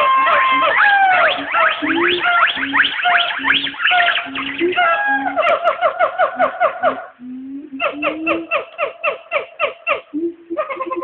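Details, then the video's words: A pair of Black Siamangs calling back and forth from the trees at the Nashville Zoo at noon, recorded by an old phone: dense loud overlapping whooping and rapid barking notes, then quick pulsed barks repeated in a fast series. "Black Siamangs calling to each other"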